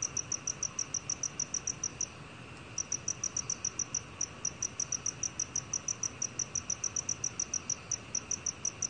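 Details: Black cricket from a 2020 National Institute of Biological Resources recording: thin, high chirps repeated in a brisk, even rhythm, a short gap after two seconds, then continuous pulsing to the end.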